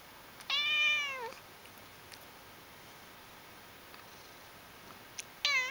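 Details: Pet cat named Aqua, said to be coyly cute and a loud purrer, gives one drawn-out meow of under a second that slides downward at its end, then begins a second meow that is cut short; otherwise a quiet background.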